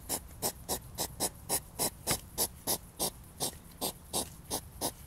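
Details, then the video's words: European hedgehog during a mating encounter that turns into a fight. It gives rhythmic, breathy puffing snorts, about three per second, each a short broadband burst, steady through the clip. "Igel-Kampf (Paarung) - Hedgehog (mating)"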